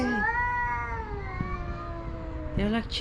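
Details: Rival stray male cats competing for a female house cat; one long, level, slowly falling moan held for over two seconds, followed by a short sharp yowl, over low background rumble.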